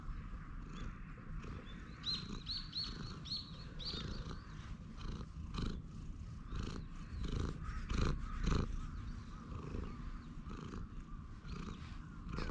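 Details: Low continuous purring from a stray cat being petted as it grooms on a park bench, recorded with a GoPro HERO8; thumps from handling, and a bird gives quick repeated chirps early on.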